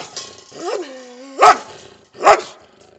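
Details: German Shepherd barking together with a Belgian Shepherd: a drawn-out whining tone that rises and then falls, followed by two short, loud, harsh barks about a second apart.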